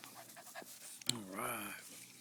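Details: A male Boston Terrier, angry at a push lawnmower, gives a brief tonal whine that rises and then falls, with panting around it.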